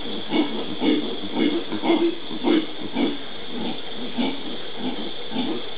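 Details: Howler monkey of the genus Alouatta, Pantanal, Brazil, 13 January 2011, giving deep, hoarse grunts in a steady rhythm, roughly two per second, over a constant background hiss.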